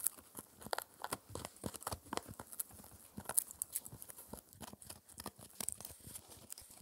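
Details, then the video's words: Spencer, a four-month-old male Shetland Sheepdog puppy, chews an air-dried raw ear as his daily dental treat indoors: dense, irregular crunching and tearing clicks, some crisp and high, with a few duller low thuds, and no talking. "Puppy Dog Eating Raw Ear (Lamb Venison Beef or Pork) Oddly Satisfying Chewing Sounds"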